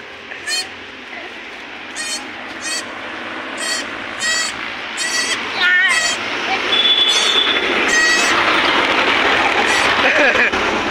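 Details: Newborn goat kids, one of two said to be born together, bleating in short tremulous bursts roughly every second or two, high and wavering, over steady crowd chatter and background noise.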